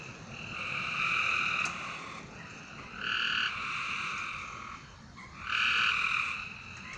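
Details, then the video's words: At night, frogs give steady droning trills, three separate bursts lasting about one to one and a half seconds, with a softer trill between them and a quiet hiss behind. "A Strange Night Sound? And Frogs!"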